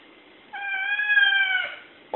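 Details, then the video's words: A domestic cat stands up like a meerkat and meows at birds it cannot see: one long, steady, drawn-out meow lasting about a second, followed by a brief knock. "Meows at unseen birds"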